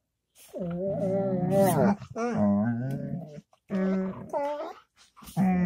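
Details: Dog giving a string of varied tonal vocals: long moans that rise and fall, broken into four or five loud bursts with brief pauses between.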